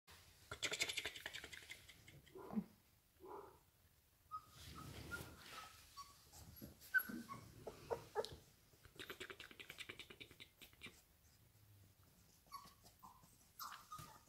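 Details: Labrador puppies at a breeder's kennel in Pune and Mumbai, Maharashtra, India, giving short, high whimpers and yips in scattered bursts, with quiet pauses between, soft background noise and faint voices.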